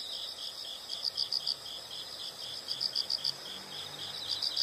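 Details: Faint high insect chirps come in short pulsed clusters with a few sharper notes standing out, set against a steady wash of background noise.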